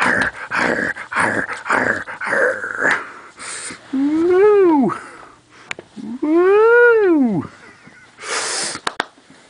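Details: Cairn terrier and miniature schnauzer mix dog playing with a bone during a game of fetch gives two drawn-out tonal whines, each rising then falling over about a second and a half, after a man's excited praise and chatter.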